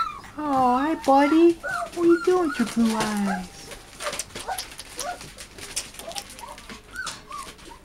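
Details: A litter of eight American Bulldog and Siberian Husky cross puppies kept indoors; clear tonal whines bend up and down for about three seconds, then softer short whimpers follow among rustling and handling noise.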